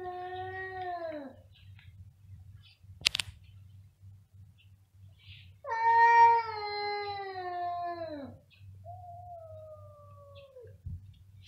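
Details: Loud, long meows from domestic cats in a small room: a falling wail, a sharp click, then a longer rich wavering meow sliding downward, followed by a thinner, quieter drawn-out meow, over a steady low hum.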